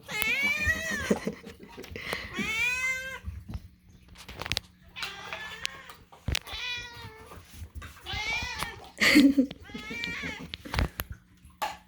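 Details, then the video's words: Hungry house cats calling for food as it is being made: a run of loud, bending meows, some long and wailing, repeated every second or two, with people chatting and kitchen clatter between calls. "loud cats demand food"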